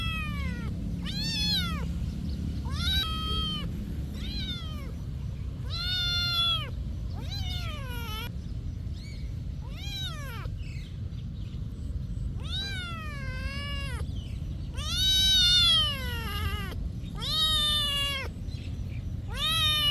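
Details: Repeated meowing from a cat at a monastery: a long series of short and longer arched meows, some rising then falling, coming every second or so over low background rumble.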